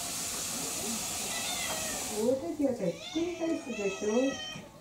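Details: Kurumi, a roughly five-year-old female tabby-like mixed-breed cat, excited before dinner and pawing in jabs; after two seconds of hissy noise come several short rising-falling meows in quick succession, mid-pitched, indoors.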